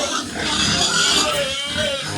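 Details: Sows being given injections squeal loudly in a harsh, continuous broadband cry with rough harmonics that runs for over two seconds, while steady rain hisses in the background and a voice speaks briefly.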